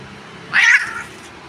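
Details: Domestic cat being combed indoors gives one short, strained meow lasting about half a second. It rises and then fades, with quiet room sound before and after.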